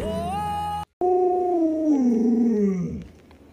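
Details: Pet Alaskan Malamute howling at home: a steady, slightly rising tone, a short break, then a long wavering howl that slides gradually downward and fades after about three seconds.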